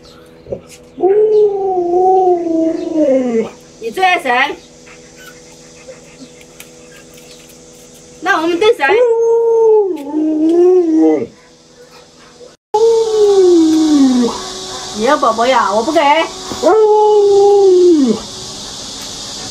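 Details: Luoluo, a pet Alaskan Malamute, howls while its owner wears a mask to scare it: four long wavering howls, each rising then sliding down, with brief bursts of human speech between them.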